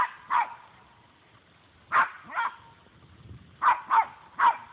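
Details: A small female Puggle dog confronts a deer that refuses to back down, giving loud, abrupt barks singly and in quick pairs, spaced over a few seconds.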